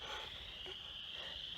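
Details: A spring peeper (Pseudacris crucifer) chorus in mid-March, among the first creatures to sing this time of year; high peeps merge into a steady, shrill ringing.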